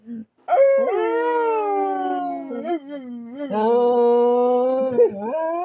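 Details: Dog trying to communicate: a short yip, then a long howl gliding slowly downward, a brief wobble, and a second steady, drawn-out howl ending in a small upward flick.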